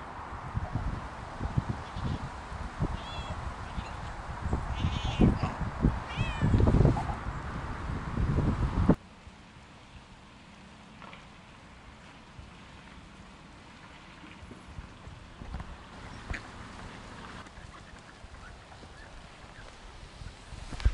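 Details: Two Siamese cats, Otani and Yozora, off-leash on a rainy forest walk, talk to each other just after jumping a creek. Short, wavering meows trade back and forth over the first nine seconds, then quieter outdoor ambience follows.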